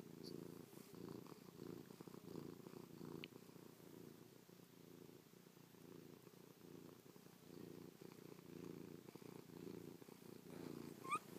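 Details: Chloe the cat purrs steadily while pressed close to her owner, licking and pawing after sleeping on them overnight; deep rhythmic rumble in long breath cycles, with a brief faint squeak near the end.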